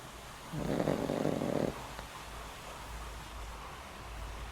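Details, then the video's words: A single loud, rasping snore about a second long from Boram, an elderly house dog past twenty years of age with heart trouble, sleeping soundly indoors, followed by quiet background hum. "강아지 코고는 소리~! 코골이가 우렁차요~!"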